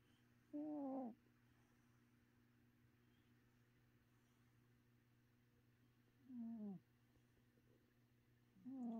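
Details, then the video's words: Sleeping domestic cat snoring. Three short, downward-sliding tonal snores, each about half a second long, come around five seconds apart over a faint constant background hum. "My cat was snoring"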